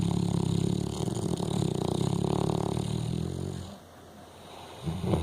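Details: Frankie, a pet dog, snoring: a long, coarse, rumbling snore with a fluttering rattle, dropping to near silence between breaths before the next snore begins.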